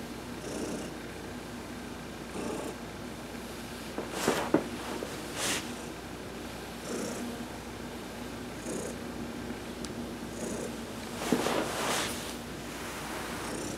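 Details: Purring of Heidi, an adopted house cat, during a massage in the sun on November 19, 2020. A soft, even rumble carries on beneath louder bursts of rubbing and handling noise around four and eleven seconds.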